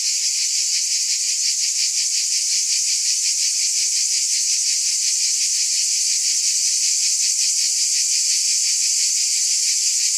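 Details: Cicadas buzzing in a dense, steady chorus: a bright, hissing drone that throbs about three times per second at an even loudness throughout, with no other animals, voices or background sounds.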